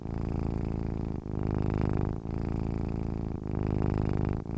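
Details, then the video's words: Domestic cat purring while asleep: a steady low rumbling purr in long pulses about two seconds each, broken by brief pauses between breaths, with no other sounds heard. "cat sleeping with purring sounds"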